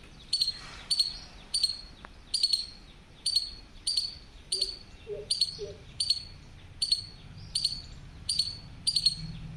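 A squirrel gives sharp, high chips, repeated steadily about every second.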